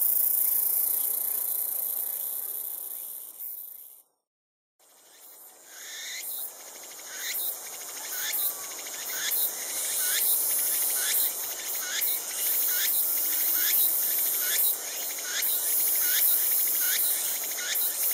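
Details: Tsukutsukuboshi cicada, the latest cicada of the season to start calling; high buzzy pulses repeated in a steady rhythm a little more than once a second, with a brief silent gap early on and a constant high hum behind.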